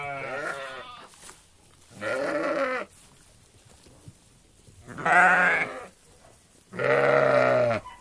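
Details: Flock of sheep in a meadow; four wavering, nasal bleats about a second each, spaced roughly every two seconds with quiet gaps between, voices varying slightly in pitch.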